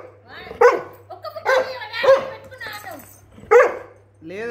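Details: Labrador refusing food during a hunger strike, giving four loud, short, moaning barks with bending pitch roughly a second apart, then a rising whine at the end.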